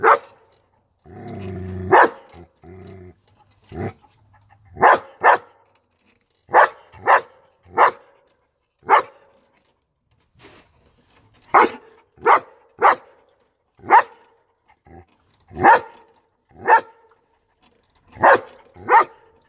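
A German Shepherd barks in loud, deep single woofs, repeated roughly every second.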